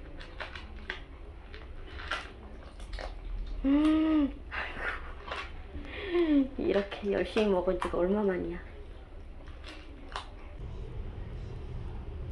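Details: Bolt, a stray cat who stayed with people for a year and five months, in its last recording: one drawn-out arching meow, then a quick run of shorter rising-and-falling meows, indoors with faint clicks and low background hum.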